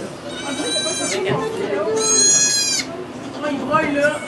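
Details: Goat during the birth of two kids in a Quebec sugar shack, recorded with an iPod Touch. Two bleats stand out, the second long and quavering, over steady French chatter.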